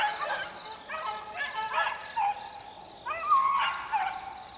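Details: Young beagle pups, four months old, working in the wild in 2013 give short, separate rising yelps and brief howls with gaps between them. A constant thin high whine sits in the background.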